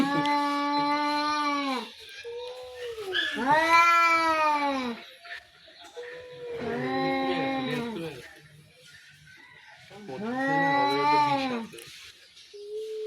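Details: Two cats in a playful, harmless play fight give long, drawn-out harmonic yowls, each about two seconds, in four bouts with pauses; people talk in Bengali and laugh nearby.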